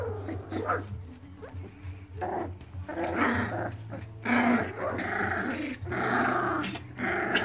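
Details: Irish Terrier from the Red Heart line, 23 days, busy early in the morning: rough, rumbling growls and snarls in irregular bursts about once a second, over a steady low hum and some voices indoors.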